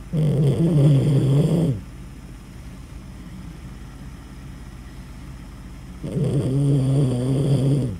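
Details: Loud dog snoring indoors: two long, deep, rumbling breaths about four seconds apart, each lasting nearly two seconds, with quiet pause between.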